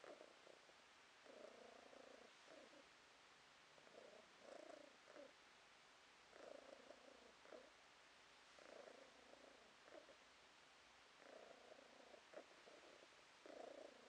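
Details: Domestic cat purring, recorded in October 2022: a soft, low rumbling purr in bouts of about a second, each followed by a brief pause, repeating roughly every two to two and a half seconds against a quiet background.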